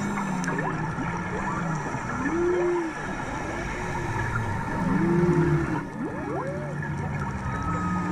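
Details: Underwater off Maui in March, humpback whales sing repeated arched moaning units with paired low groans, faint rising whistles and a continuous background of water noise close to the divers.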